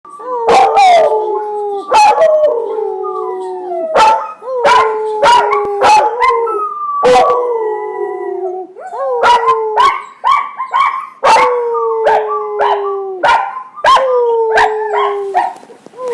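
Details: Two young puppies, brothers, the older one recently starting to howl and the younger learning from him: long, wavering, drawn-out howls that slide downward, overlapping and repeated, broken by sharp clicks and short yips.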